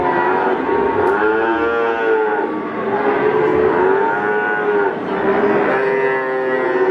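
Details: Young Peranakan Ongole bulls at the Pasar Pon livestock market in Ambarawa, Central Java, Indonesia, give sustained, resonant moos in roughly three long swells, steady in pitch, with other cattle calling underneath.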